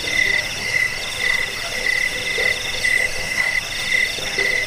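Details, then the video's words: Crickets in a recording offered to repel rats and train birds; clipped chirps recur roughly once a second against a dense, continuous buzzing trill and faint scattered clicks. "Suara jangkik"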